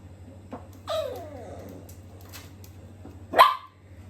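A miniature dachshund puppy gives a falling, wavering whine, then a short, sharp yap.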